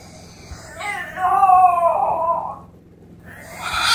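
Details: A female French Bulldog puppy left in her pen during cleaning cries in a wavering, whining wail that rises and then falls, sounding like a human baby, followed by a short rustle.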